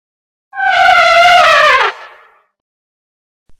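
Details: Elephant trumpeting: one brassy, strongly harmonic blast of about a second and a half that holds steady in pitch, then sags downward as it fades. The background is silent.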